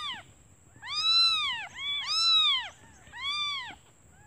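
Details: Hungry newborn kittens crying for their absent mother, who has gone out to find food; three long, loud, arching mews, each near a second long and bending up then down, separated by short pauses.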